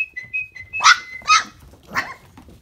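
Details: Briard puppies aged four and a half weeks giving three short, high, yelping whimpers about half a second apart, preceded by a thin, steady whistled tone.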